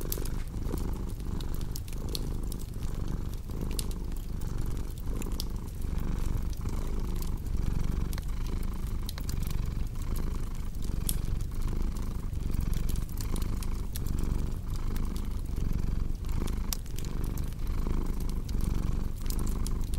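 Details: Cat purring with a cozy crackling fireplace: a deep continuous rumble that pulses with each breath, in and out roughly every 0.8 seconds, while scattered crisp wood crackles and pops sound throughout.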